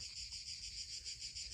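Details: Cicadas on Corfu, Greece, in July: a steady, high, sizzling buzz that pulses gently without a break; they call from about sunrise through the day until nightfall.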